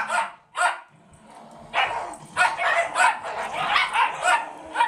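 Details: Two Rat Terrier rescue fosters, one wearing a sweater, barking indoors while other dogs play; sharp yipping barks come singly at first, then in a quick uneven burst of about eight barks.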